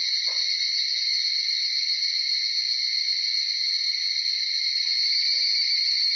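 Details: Higurashi (Tanna japonensis) singing together in the early morning hours after 4:30 in Uda city, Nara, Japan; a thick, continuous high-pitched ringing without pause, with only faint scattered low noises beneath.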